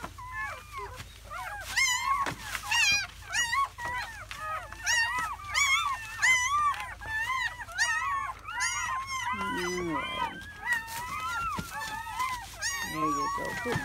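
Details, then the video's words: A chorus of seven newborn German Shepherd puppies in their first hours of life, May 2017, crying continuously in dense overlapping high squeals and whines. A couple of lower nasal grunts break through, along with occasional clicks. "The sounds of 7 newborn German Shepherd Puppies"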